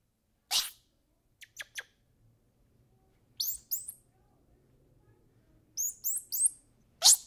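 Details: Squirrel monkey uttering paired high chirps twice, mixed with harsh broadband bursts and clicks, over a faint low hum in the background.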